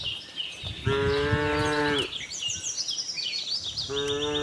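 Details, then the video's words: Friendly farm cows out looking for green grass: a full, even moo lasting about a second, then a second moo beginning near the end, with lively bird chirps throughout. "cow mooing sound"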